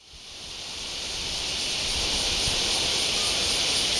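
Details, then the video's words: Cicada in Japan, August 2019, starting a loud, steady, hissing buzz that swells over the first two seconds and then holds high and even. "Cicada -2019Aug-"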